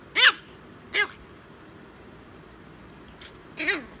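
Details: Chihuahua at bedtime, giving three short, sharp yelps with quick rise-and-fall pitch, spaced unevenly across a few seconds, with quiet room background between calls.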